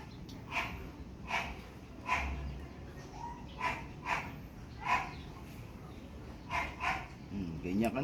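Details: Pomeranian at a Parkhomes, Muntinlupa photo shoot, yapping in short high barks about every second, sometimes in pairs, with people talking nearby.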